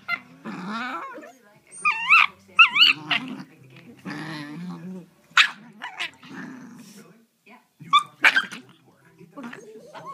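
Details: Two cream Shiba Inu sisters from the same litter, 3.5 months old, trade squeaky, yodel-like whines and grumbling growls back and forth.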